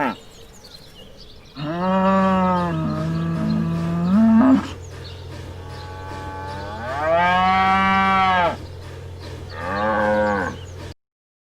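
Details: Farm cows mooing in three separate bouts: a long low wavering moo with a rising, strained end, then two shorter, brighter moos spaced a few seconds apart, with a steady low hum underneath.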